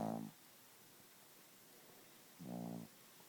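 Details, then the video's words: Sleeping Chihuahua named Gidget snoring: two buzzy, harmonic snore breaths, one at the start and another about two seconds later, in a quiet indoor room. "Gidget the Snoring Chihuahua"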